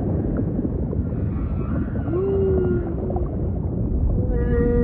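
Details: Humpback whale song units in deep ocean ambience: a smooth swelling whistle-like moan around the middle, then a steady held tone with harmonics near the end, over constant low watery rumble.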